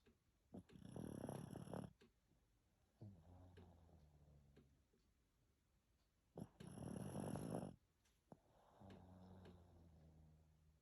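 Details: Pekingese dog snoring indoors after a shower: two loud, rough, rasping snorts about five seconds apart, separated by softer, lower, buzzy rumbling breaths with a steady humming tone.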